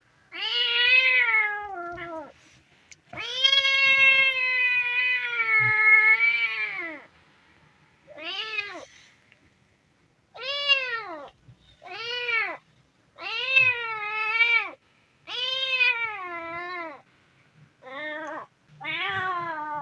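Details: Hungry kitten meowing repeatedly: a long drawn-out wavering meow followed by a series of shorter rising-then-falling meows, about a dozen calls in quick succession, clear and close with a quiet background.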